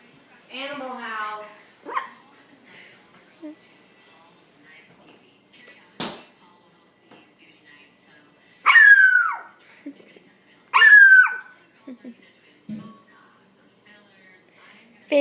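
A Puggle puppy gives two loud, high yelping barks that slide sharply downward, with a person talking.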